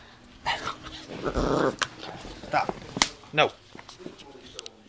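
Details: A 7-week-old liver-roan German Shorthaired Pointer puppy growls in brief, gritty bursts while attacking the camera, some growls rising into sharper yelping notes, with a person's voice and handling noises between them.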